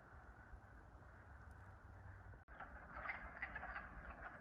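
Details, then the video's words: Wood frogs, identified by a hiker and distinct from peepers, give faint, hoarse clucking calls in quick bursts over a steady low rumble, from woods along a New England trail early in the season before peepers appear. "So you can hear those frogs, and I was just talking to a guy on the trail, and he said those are wood frogs, and they are different from peepers."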